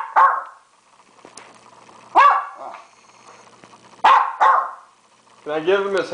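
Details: Hungry dog asking for food, a hamburger, at home; sharp barks roughly every two seconds, then a drawn-out, wavering, talk-like whine at the end, with a man's speech in the background.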